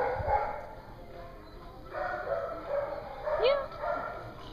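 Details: Dogs at a dog daycare in Hooksett, New Hampshire, on 21 April 2016, giving short mid-pitched barks and yips. A sharp rising yelp stands out near the end, over a steady indoor background hum.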